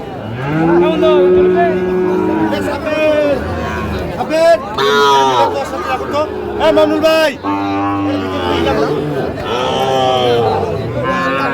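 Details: Sahiwal bull at a cattle market held on Mondays and Fridays, on 31 January 2025; long, drawn-out low moos with rich harmonics, several in a row, with people talking nearby.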